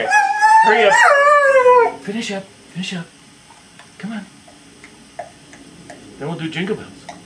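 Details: Rusty O'Busker, an Australian Cattle Dog, howls the blues indoors: a long wavering howl with rich harmonics sliding up and down for about two seconds, followed by short yips and a few human words.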